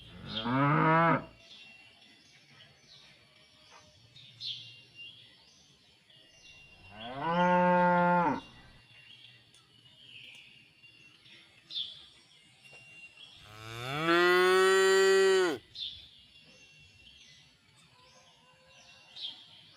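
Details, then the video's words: Village cows and calves resting in a pen after grazing: three separate moos several seconds apart, the last the longest and steadiest, with small birds chirping throughout the pauses. "the sound of tame and cute cows in the village pen"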